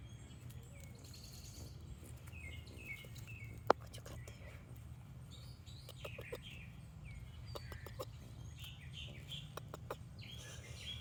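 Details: A female squirrel, grieving after losing her month-old babies to a raccoon attack, gives short, sharp snorting, purring sounds in scattered bursts, the same sound she made around her babies, with chirps and a steady low rumble behind.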